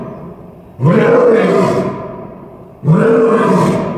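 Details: Captive male lion at Tulsa Zoo, January 3 2021, roaring into his den for its echo effect; two powerful, drawn-out roars about two seconds apart, each swelling then fading.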